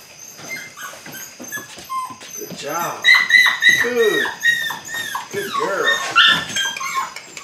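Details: A litter of eight-week-old Belgian Malinois puppies (Android Whiteline Czech x Mason's AnnieLou) during early bite work, yelping and whimpering in rapid overlapping cries, some high and rising, some arched, growing busier from the third second on.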